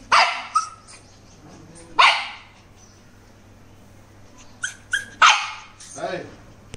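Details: In the naughty corner, an angry Shih Tzu lets out loud, ringing barks in uneven bursts, with quieter yaps between them and human speech in the background.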